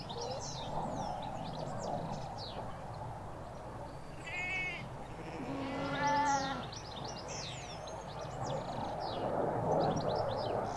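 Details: Sheep, ewes with their lambs in a field in the Hampshire countryside, recorded from halfway along a hedge: a short distant bleat, then a longer wavering, quavering bleat, over steady chirping birdsong throughout.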